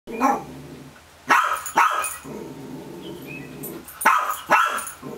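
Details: A pet dog barking at an empty chipmunk trap where a chipmunk was caught the previous weekend; sharp barks in two pairs, near the start and again around four seconds, with quiet room background between.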